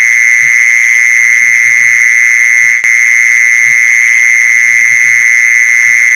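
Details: Mole cricket sound used to lure mole crickets: one steady, unbroken high-pitched trill holds for the whole stretch, with a fainter overtone above and soft low knocks scattered beneath.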